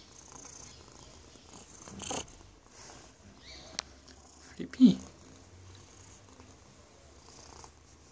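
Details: Phillip, a pet cat snuggling up close, purrs in a low, steady rumble beneath quiet room noise, broken by a few soft rustles and brief louder bumps near the middle.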